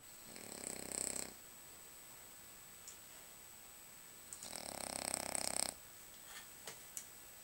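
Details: Lucas, a French Bulldog, snoring while asleep: two long raspy breaths, each over a second, with hissing noise, faint clicks between them, and a steady high tone throughout.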